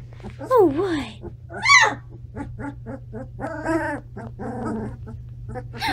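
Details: Standard Poodle puppies, 17 days old, indoors in a bigger new home, finding their voices: wavering high whines and squeaky yelps in short bursts, a steady low hum beneath.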